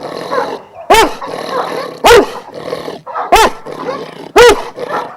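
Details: Kennel of twelve Šarplaninac sheepdogs of Vujanski origin, Jasika near Kruševac, Serbia: four heavy, resonant barks spaced about a second apart, with rougher barking and growly noise from other dogs between.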